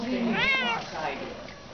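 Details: Young male cat, cuddly and very vocal, indoors: one short arched meow swelling up and dropping away, followed by a fainter second mew, with a woman's voice chatting softly around it.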